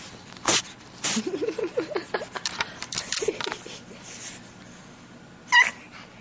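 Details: A pug puppy that is finally settling down gives soft, wavering whines and grumbles, broken by sharp snuffling bursts.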